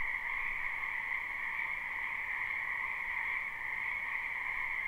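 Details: Many frogs croaking in a spring wetland, recorded live without looping: a dense, unbroken chorus of overlapping trills forms a steady two-toned drone that never pauses, with no other clear sounds.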